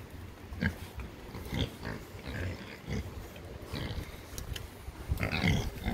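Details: Pigs grunting: short, low, rough grunts repeated roughly once a second, with occasional brief higher squeaky bursts and light scattered background noise.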